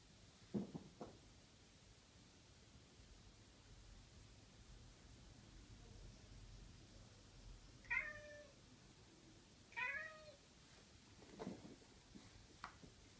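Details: Chocolate point Siamese cat gives a few loud, drawn-out meows, spaced a couple of seconds apart, while playing fetch.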